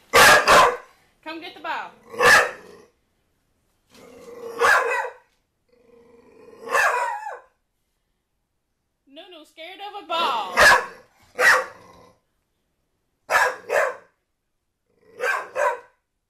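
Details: Pet dog NuNu chasing a soccer ball and barking at it; about ten sharp, loud barks in irregular bursts over sixteen seconds, some doubled, with a woman talking between them and thumps of play.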